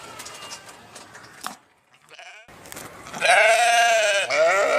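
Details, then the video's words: After a stretch of faint background noise and a brief silence, a sheep gives a loud, quavering bleat of about a second, followed by a shorter closing bleat. "صوت الخروف | the sound of the sheep"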